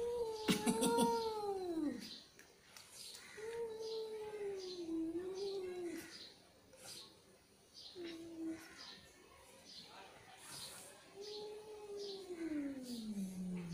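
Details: Angry domestic cat giving drawn-out, wailing yowls that bend and fall in pitch, about five long calls spread over fourteen seconds, with quieter gaps between them and faint noise from the room.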